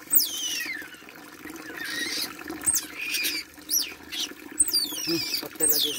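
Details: Baby otter being bathed, letting out piercing high squeals that slide steeply downward, several in quick succession, with running water, splashing and a person's voice.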